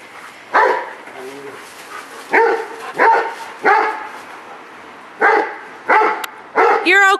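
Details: Rottweiler champion Jero Vom Haus Nagy barks repeatedly in excitement while going for the ball. There are about eight strong, harmonic barks, irregularly spaced, with a brief pause midway. A human voice is heard faintly and briefly.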